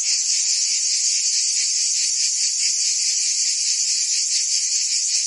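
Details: Cicadas in Provence, France, singing in summer: an unbroken, intense high buzz, slightly rougher here, pulsing rapidly without pause.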